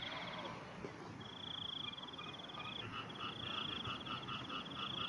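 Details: Frog in the morning giving a long high rattling trill that turns into a row of evenly spaced pulsed notes, with steady noisy background.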